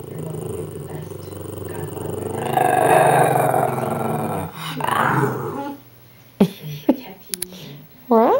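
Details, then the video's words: Pet Shih Tzu "talking" to its owner indoors: a sustained, rumbling, grumbly growl-moan that swells and wavers for several seconds, then fades into quieter grumbles with brief human speech and clicks at the end. "Talking Trinket the Shih Tzu"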